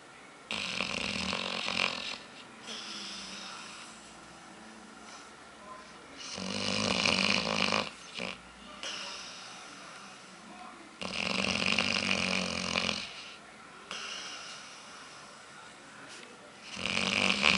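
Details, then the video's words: Aila, known as Lalá, a female dog asleep and dreaming, snores loudly and rhythmically. Long grating inhalations swell and fade roughly every four to five seconds, with softer wheezy breaths between. "Roncando pra cachorro, ou melhor cachorra!!"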